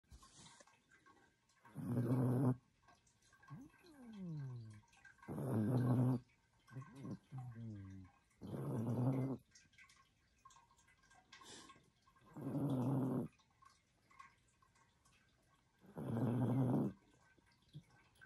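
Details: A sleeping Chihuahua, a female, snores in a small indoor room: broad, raspy breaths about every three to four seconds, five loud snores in all, with soft whistling squeaks falling in pitch between some of them.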